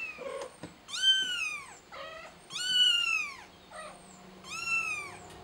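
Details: Kitten calling for help, giving three long, loud arched meows about two seconds apart, each rising then sliding down, with shorter clipped cries in between.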